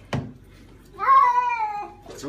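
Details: Pet cat, female, in the bath indoors, giving one long drawn-out meow that starts higher and slides slowly downward over about a second, with a short thump before it and a person's voice nearby.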